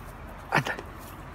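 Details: Young Belgian Malinois, a puppy of two and a half months from Reșița, Romania, gives a brief high bark with a fainter follow-up yelp, against low steady background noise.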